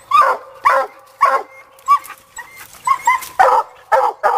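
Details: Sadie, a young female Black and Tan coon dog out coon hunting after getting her raccoon, gives rapid, ringing barks with a whining edge, roughly two per second in a steady, insistent run.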